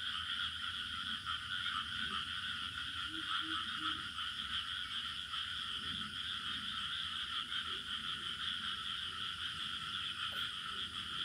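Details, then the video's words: Village night-style ambience of crickets: continuous high, even trilling in two bright bands, never pausing, while scattered low frog croaks pop up around the third second and a low rumble runs beneath. "Bunyi Cengkerik Katak Burung Suasana Kampung"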